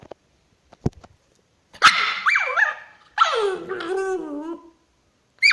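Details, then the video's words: Pet dog, female, making a funny sound when infuriated: two drawn-out, wavering whine-yowls that bend up and down, each about a second long, after a few faint clicks. "My doggy's funny sound when she is infuriated."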